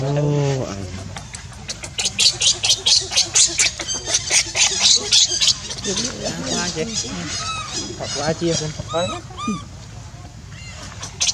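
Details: Hungry baby monkey Leo crying to beg milk from its mother: loud, high, shrill squeals repeated about twice a second in a rapid series, breaking into wavering, falling whines toward the end, with low background hum.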